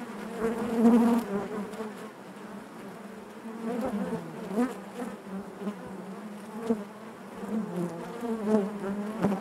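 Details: Honey bees in their hive produce a steady low buzzing with harmonic layers, occasional louder whines as bees move close, and a few faint clicks over the drone.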